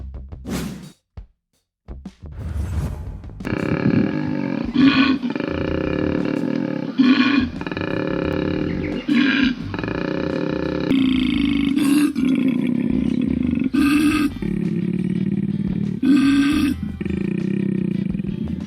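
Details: Wild koala in the Australian bush growling: deep, rasping snore-like bellows in long repeated phrases, alternating with short harsher bursts, after a brief quiet start.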